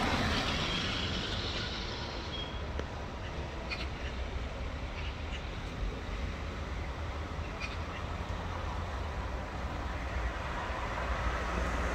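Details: Steady roar of road traffic with heavy vehicles and trucks rumbling past, a brief hiss like an air brake near the start, and no animal voice.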